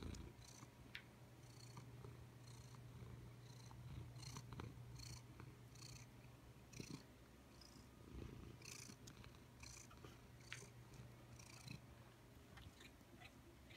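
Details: Pet cat relaxing in an office, purring steadily: a deep continuous rumble carrying regular breathy in-and-out pulses, plus scattered faint clicks and light handling noises throughout.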